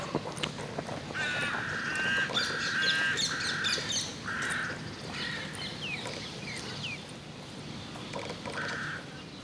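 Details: Golden jackals wail in a chorus of high, wavering cries over low city hum, in an urban park in Tel Aviv.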